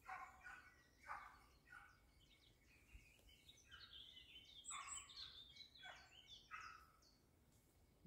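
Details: Barking of a Dachsbracke during boar-hunting training: harsh barks in irregular bursts, some paired, mixed with thin high bird chirps in the background.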